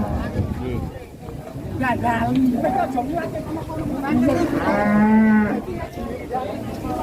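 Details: Angry cow said to be raging out of control bellows several times, short strained moos building to a long, loud, harmonic moo near the fifth second, with a person talking faintly and general background noise.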